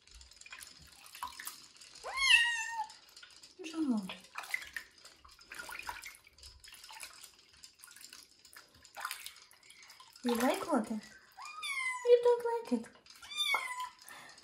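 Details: Bathed for the first time and treated for fleas before going to a new home, Kitten Joe, a young cat, utters scattered rising meows between soothing human speech and water splashes.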